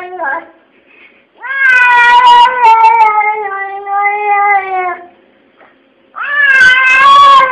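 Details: Kesha, a talking pet cat complaining about its fate indoors: a brief meow, then a long drawn-out wailing meow of about three and a half seconds, followed by another loud, rising-then-falling meow.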